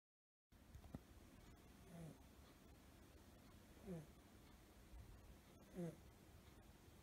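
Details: Snoring of Suzu, a five-month-old male blue tabby American Shorthair kitten asleep curled up, which is when he snores: three soft, low, rasping breaths about two seconds apart against quiet indoor hiss.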